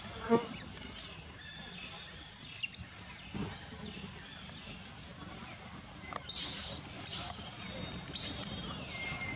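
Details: Refused milk by its mother, a wild baby monkey near Angkor Wat, Cambodia, stays on her back giving sorrowful cries: repeated sharp, shrill upward-sweeping squeals, several drawn into thin high whines, roughly every second near the end.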